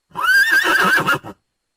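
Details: Horse whinnying: a single loud, high neigh with a wavering, trembling tone that holds steady, then ends in a short final burst, all lasting just over a second.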